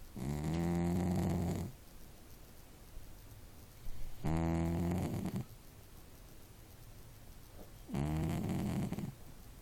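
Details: Sleeping domestic cat snoring: long, low, droning breaths with a buzzy layered tone, each lasting about one and a half seconds and recurring roughly every four seconds, with quiet pauses between.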